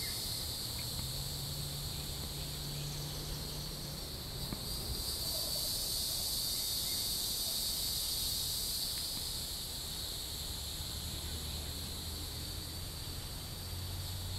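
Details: Hieroglyphic cicada (Neotibicen hieroglyphica) singing along Shoal Creek in Joplin, Missouri, June 16, 2012: continuous shrill buzzing drone that grows stronger around the middle, then subsides, over low rumbling background noise.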